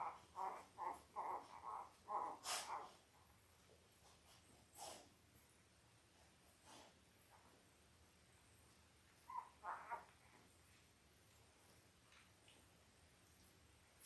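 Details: Five-day-old Labrador Retriever puppies from Belle's litter of eight, born October 15, 2023, on a live puppy cam: a quick run of soft, high squeaks in the first three seconds, then a brief pair near ten seconds, over quiet room hiss.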